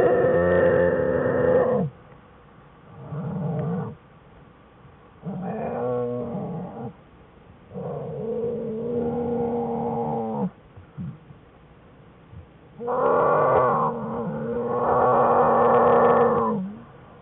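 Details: Jewel's American black bear cubs, Fern and Herbie, whining in their den, January 5, 2013: a series of six harmonic whines, some short, some drawn out over two seconds, separated by brief silences.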